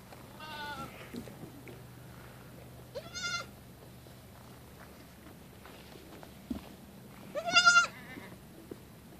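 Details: Female goat kid at play, bouncing off a tree stump and running around; three separate high, trembling bleats, the last the loudest, with a low steady hum and a few soft knocks underneath.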